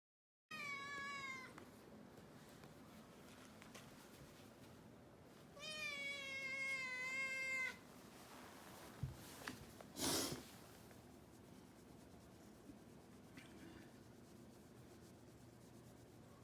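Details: Rescued kitten, 67 days after arriving home, on New Year's Day after a treat, exploring down the stairs; two harmonic meows, a short one then a longer wavering one, followed by a thump and quiet room noise.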